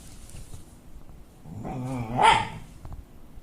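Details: Pet dog making an unusual noise on 29 May 2013, the first time his owner heard it. A wavering, groaning tone lasts about a second, then breaks into a louder, higher yelp-like burst. The background is quiet.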